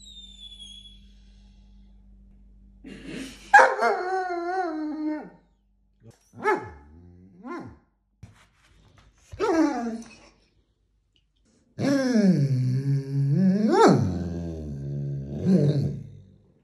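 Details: Vizsla. A Vizsla complains at length with long, tonal whines that slide up and down in pitch, almost howl-like at times. The bursts come in uneven runs separated by brief pauses.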